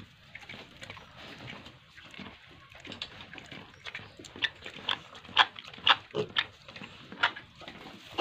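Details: Pigs and piglets on a farm in Tripura, a rapid string of short grunts and squeals, about two a second, loudest in the second half, over a constant background hiss.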